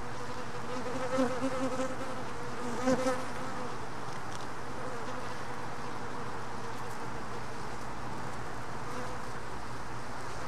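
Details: Honey bees at a hive during a mite check, one worker carrying a mite: steady low droning hum throughout, with brief louder buzzing bursts near the start.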